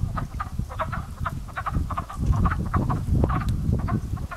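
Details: Frogs waking in a pond as spring nears, sounding like crows at first: short, grating croaks about two per second, irregular and overlapping from multiple animals, over a low continuous rumble.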